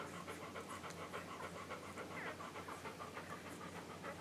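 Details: English Golden Retriever puppies, under a week old, feeding from their mother on July 15, 2012. Quick repeated sucking smacks with a brief rising squeak in the middle, over a steady low hum.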